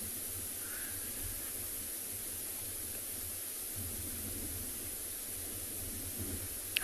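Steady broadband hiss with low rumbling, like wind or a vehicle engine, and no clear animal calls.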